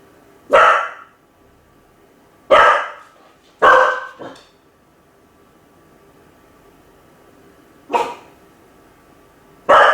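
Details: Home-alone Kai Ken Ichi barks in short bursts, first three in quick succession, one with a trailing yelp, then a gap before two more sharp barks in an otherwise quiet indoor space.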